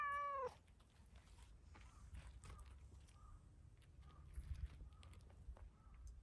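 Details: Black-and-white tuxedo stray cat meowing at the camera after a surprise petting; a brief meow cut off at the very start, followed by quiet low outdoor rumble and faint ticking sounds.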